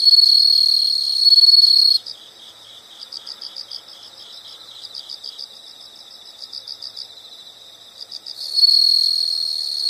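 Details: Insects heard in nature: a loud piercing trill for two seconds, then soft rapid pulsed chirping in clustered groups, and the loud trill returning at the end.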